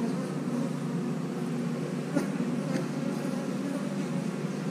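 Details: Colony of house honey bees producing a constant deep buzzing drone, unbroken for several seconds, with a faint click or two.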